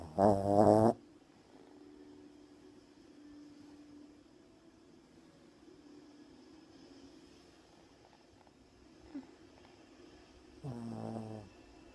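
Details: Sleeping puppy snoring loudly: two strong, rough, buzzy snores about ten seconds apart, with faint quiet breathing in between.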